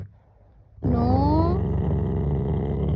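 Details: A male pet Rottweiler shows aggression under its owner's control. After a short quiet pause, a low, rough growl starts suddenly and holds steady, with a brief higher whine-like tone sliding upward near its start.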